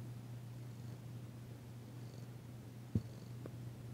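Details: Massaged female cat Danci purring on February 9, 2022, her first purr since arriving; a low steady rumble with one sharp bump near the three-second mark.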